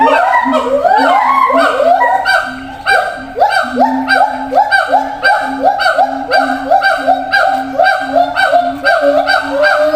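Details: Zoo siamang calling to distant companions in other cages; rhythmic series of upward-sweeping whoops roughly every half second, accelerating, with a sustained low boom beneath and several voices overlapping.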